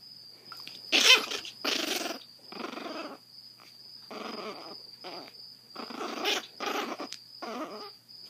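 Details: Zada, a grumpy blind 7-week-old female Chihuahua puppy with severe hydrocephalus, rescued from a Fort Worth, Texas shelter, gives a run of short raspy growling bursts, roughly one per second, over a steady high electronic whine.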